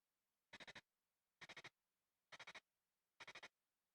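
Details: Nipponomeconema surugaense, an ultrasonic-singing katydid from Japan, recorded with a bat detector converting the call to audible sound: short buzzy bursts of about four rapid pulses, repeated roughly every 0.9 seconds, in a quiet background.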